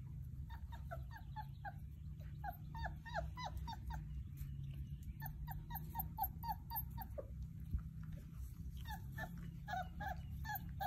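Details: Playing Basset Hound puppies give a busy chorus of short, high yips and whimpers over a low rumble.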